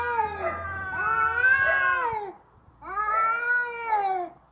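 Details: Two long, drawn-out wailing yowls from fighting cats, each rising slightly then sagging at the end, the first lasting over two seconds, with a short silent gap between them.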